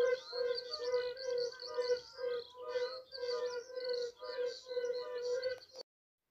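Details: Polish yellow-bellied toad, the mountain fire-bellied toad, voice close to but slightly different in tone from the lowland species: repeated soft low hoots in a loose chorus, with high twittering in the background, ending abruptly.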